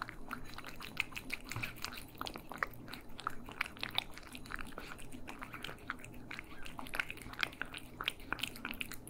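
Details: Indoor stereo recording of cats eating, with dense bursts of crunchy chewing and lip-smacking clicks coming several times a second against a quiet low background hum.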